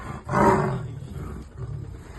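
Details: Trapped leopard: a single loud, harsh, roar-like growl lasting about half a second, followed by a fainter rumble toward the end.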